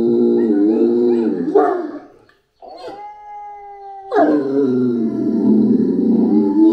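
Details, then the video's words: Great Dane named Anubis gives long, wavering howls, falls silent briefly, then a steady held tone sounds before loud sustained howling resumes and continues to the end. "Por Anúbis Uma Historia de Uivos e Latidos! - Dogue Alemão"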